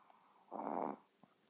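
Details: A dozing Chihuahua lets out a single throaty, rasping snore of about half a second, followed by a faint short breath.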